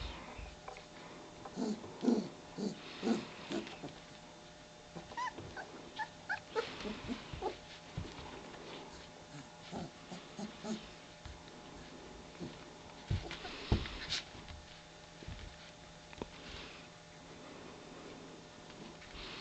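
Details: German Shepherd puppies of a litter nearly three weeks old, indoors at 4:30 am, just waking and beginning to play; short high whimpers and yips come in bursts, busiest in the first seven seconds, over a steady background hum.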